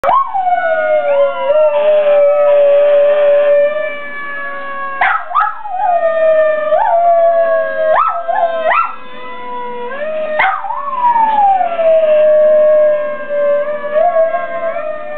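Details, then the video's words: Rusty, a pet dog, singing: long wavering howls held at a steady pitch, broken every few seconds by sharp rising yelps that slide back down into the sustained tone, repeated through the whole stretch. "Rusty singing"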